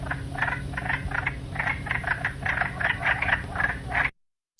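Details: In a wetland, wood frogs give harsh, duck-like clucking quacks in quick irregular bursts, several overlapping, with a low steady hum underneath.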